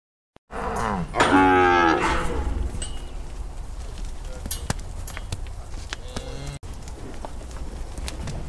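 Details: Cattle during a round-up of Brahma, Hereford and Brangus cows to sort calves and sell off older ones: one loud, drawn-out harmonic moo of about a second near the start, then steady low rumbling background noise.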